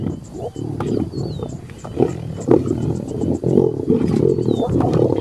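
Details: A fight between two lions, with hyenas backing away: deep snarling growls that build steadily, broken by sharp clicks, while faint thin whistled glides sound above.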